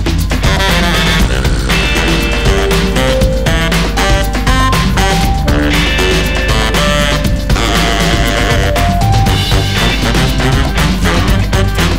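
Loud, steady music with a heavy bass beat and bright melodic lines plays throughout, with no animal sounds.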